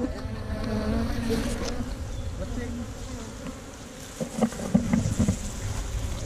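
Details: Bees from a tree-trunk hive buzz while hunters take the honey, GoPro Hero5 Black: a dense droning hum over rumbling low noise, with sharp scraping and knocking sounds later on.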